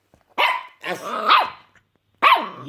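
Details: A puppy barks at snoring: three harsh, noisy barks. The middle bark is longer, rising then falling. A short pause comes after the first and nearly a second's pause before the last.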